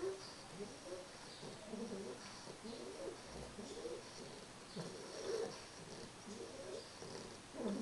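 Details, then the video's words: Carles, a three-month-old English Bulldog puppy, snoring while asleep: soft, rough, low breaths repeat roughly once a second in a quiet room, with a faint high hiss behind. "CARLES mi bulldog ingles,roncando."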